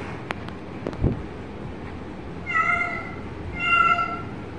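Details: Kitten giving two drawn-out, clear meows in the second half, the second slightly louder, after a few sharp taps and clicks, over a constant background hiss.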